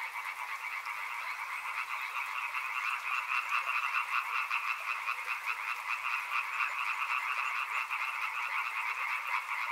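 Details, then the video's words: Frogs calling by a river in a dense, unbroken chorus: rapid pulsed croaks layered in two steady bands, a lower and a higher, repeating about two or three times per second with no pauses. "Frog Sounds | Soothing sounds of river and frogs"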